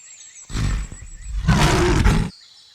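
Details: Lion, shown with its cub, roaring: two rough, broadband bursts, a shorter one followed by a longer, louder grating roar of nearly a second, deep and noisy, then quiet.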